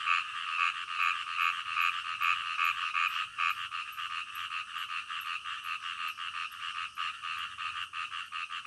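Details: Frogs croaking at night in a fast, fairly regular series of short harsh notes, around two to three per second, with a faint high ticking above them.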